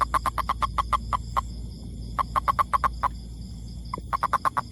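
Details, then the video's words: A toad's call: long runs of sharp, regularly spaced knocking pulses, several per second, broken by short gaps, loud and clear above a low background drone. "Amazing Sound Toad"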